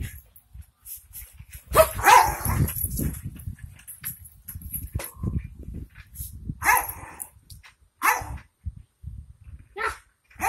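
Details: One of two Jack Russell Terriers at home barks in short sharp bursts, a loud broad bark near the start followed by scattered yaps and whines, with a person talking in the background.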